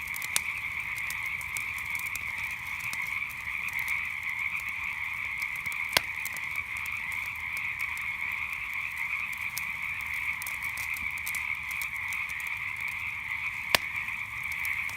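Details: Steady nighttime frog chorus, a thick high trilling hum that never pauses, with a few loud campfire cracks standing out, notably near six and fourteen seconds.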